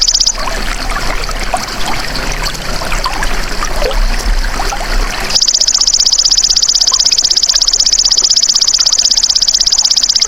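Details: Golden grasshopper call used as a songbird tutor recording: rushing, trickling water-like noise fills the first half, then a steady, rapid, metallic pulsed trill runs to the end.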